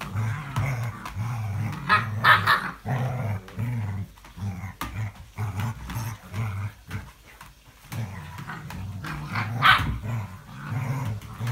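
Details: English Springer Spaniel on 05.02.17: a deep, pulsing growl that rises and pauses repeatedly, with two short, harsh bark-like bursts, one early and one late, over faint indoor background noise.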